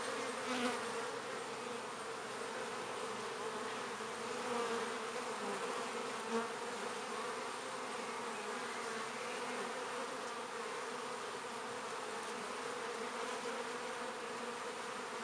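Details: Continuous humming of many active honey bees at a north London hive entrance in midsummer as they carry in pollen and nectar; an even, thick drone with wavering tones and occasional nearer wingbeat buzzes rising briefly above the mass.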